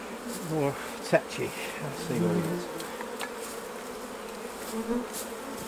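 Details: Hive of honey bees humming steadily as the honey harvest is taken off, a soft even buzz with a faint murmur of voice early on and light tapping of equipment.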